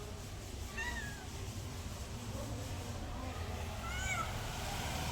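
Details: Domestic cat giving two rising-then-falling meows, one near the start and another about three seconds later, over a steady low indoor hum.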